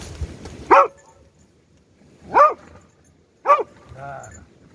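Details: Beagle during rescue dog training, locating hidden victims, three in ten minutes with two inaccessible to it; three loud, clipped barks spaced about a second apart, with a faint low human voice near the end.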